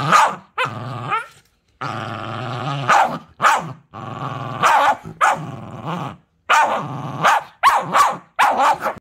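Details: Cookie, a puppy playing the cute beast, gives low drawn-out growls that rise into harsh barks. The outbursts come in clusters, then speed up into rapid snarling yaps near the end.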